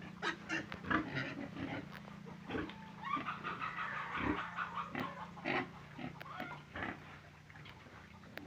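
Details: Pig uttering soft, uneven grunts and snuffles, one longer rasping stretch in the middle, quieter toward the end, with a faint low hum throughout.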